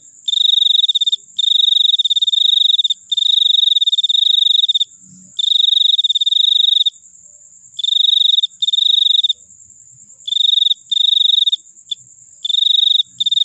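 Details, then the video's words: Cricket singing long, loud, high-pitched trills lasting up to two seconds, broken by short silences, over a continuous faint high background buzz. "suara jangkrik paling merdu"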